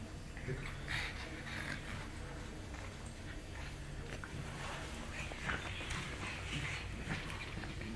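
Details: Pug puppy playing with her mother; soft, faint whimpers and squeaky bursts come and go over a steady low electrical hum, with a little speech in the background.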